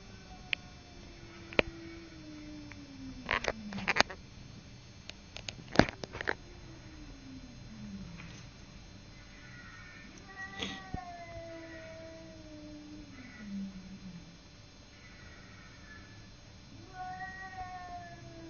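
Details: Cat Simba confronting the neighbour's cat: a slow, descending yowl broken by bursts of clattering and thumps, then repeated shorter wavering wails with rising-falling pitch.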